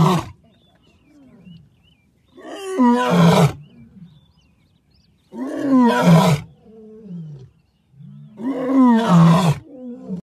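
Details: A lion's roar drum, a home-made floor membranophone with a cord through its head imitating a lion, gives deep, rasping roars, each a surging bellow repeated about every three seconds.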